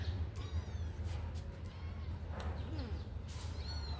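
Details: Kittens let out of their cage to run and play give a few faint, thin, high-pitched meows, short rising-and-falling cries scattered across the moment over a constant low droning hum.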